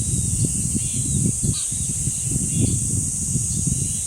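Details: Continuous high-pitched cicada buzz at the dangsan of Deoksan village, South Korea, holding an even tone for the whole stretch over low, gusty wind noise, with a brief faint bird note.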